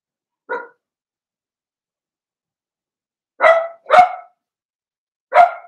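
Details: Blenheim Cavalier King Charles Spaniel puppies from Remy's first litter of six, born in early March, in the indoor puppy pen: one short yap, then three sharper, higher barks in quick succession, each bright and abrupt, with silence between.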